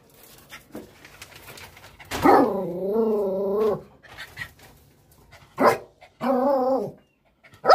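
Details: The youngest female dog during aggression and attack training gives a long, wavering, tonal bark-howl lasting over a second, then a shorter matching one, with faint clicks and low rumble between.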